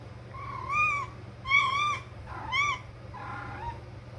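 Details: A pet cat calling when she wants to play: four short, arched, tonal meow-like cries about a second apart, the last softer and wavering, over a steady low hum.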